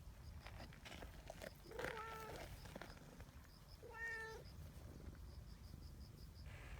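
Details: Community cat on a bench, its meow serving as a signal that quickly gathers a friendly, affectionate trio of cats; two short harmonic meows about two seconds apart over low outdoor rumble and steady high ticking chirps in the background.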